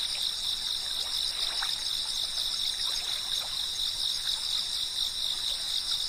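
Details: Steady, ringing drone of chirping cicadas in bright layered bands, never breaking, with a babbling brook and scattered water drips beneath it.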